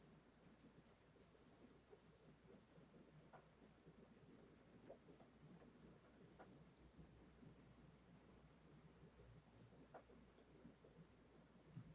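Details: Very faint, low rumbling background noise with scattered soft ticks and clicks, and no animal voice.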